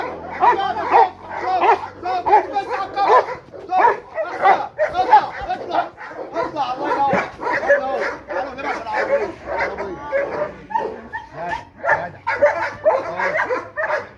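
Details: During guard-dog attack training, a Rottweiler that used to fear being touched barks in fast, ragged volleys, roughly one and a half per second, mixed with a trainer's loud shouts of encouragement.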